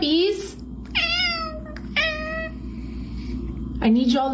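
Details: Domestic cats meowing indoors in a short series of rising then falling harmonic meows, with a person talking nearby and background household hum.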